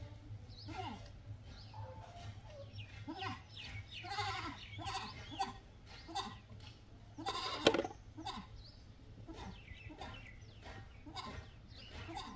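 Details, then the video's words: Goats bleating in a busy stretch: many short overlapping nasal bleats from more than one animal, a sharp knock near the middle, steady low hum and scattered high chirps throughout. "Goat Amezing Sound Video"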